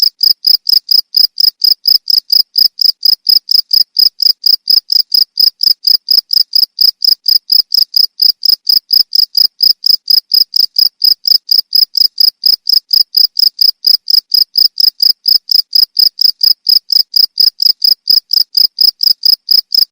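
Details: Jangkrik chirping without pause for a songbird training recording: bright, high pulses in a fast, even, metronome-like series, constant loudness, clean background.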